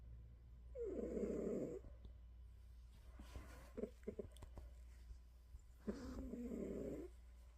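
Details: Pet cat snoring just before falling asleep: two long, rasping snores with a gap of several seconds between them, filled with small clicks and soft rustling, all over a constant low background hum.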